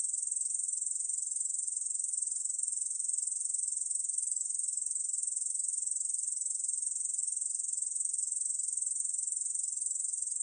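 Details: Steady, unbroken high-pitched buzzing from a Korean bush cricket in a 2020 recording, a dense shimmering trill at constant loudness throughout, with no other sounds.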